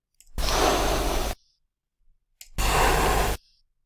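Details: Domestic cat hissing in acute warning and surprise, two examples made at different places of articulation: each a harsh breathy noise burst about one second long, the second one brighter.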